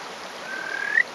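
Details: Single drawn-out whistle from a male Kajika frog on a rock, rural Hofu, Yamaguchi, 20 May 2018, morning. The note swells gradually and rises sharply at its end, with stream noise behind.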